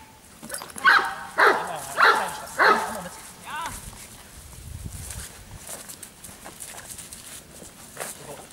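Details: Four deep, harsh barks from a Giant Schnauzer, spaced about half a second apart, then softer human speech and faint background noise.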